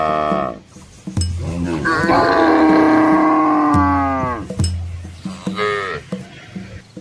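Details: Red Asian village cows in a large herd with calves crossing a small river in rural Asian countryside; several drawn-out harmonic moos, one long and slightly falling, with lower grunts and splashing between.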